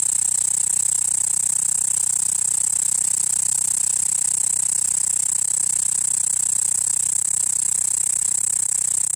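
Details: A cicada on a room's window net gives a continuous, high, shrill buzz that holds steady without a break.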